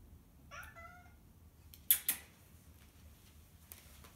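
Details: Bored pet cat indoors gives a short, quiet, wavering meow with a slightly rising then falling tone. Two sharp knocks follow a second later, with a faint low hum throughout.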